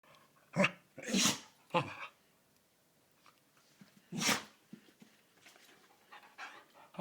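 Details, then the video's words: A pet dog that sneezes often, giving a run of sharp, explosive broadband bursts, about four sneezes in seven seconds, the second one longest, with faint snuffles and quiet pauses between. "Mr sneeze (my dog)"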